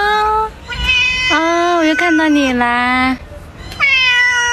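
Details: Indoor cat meowing loudly three times: drawn-out, tonal cries that slide up and then fall, the middle one longest and ending in a low drawl, separated by short quiet gaps.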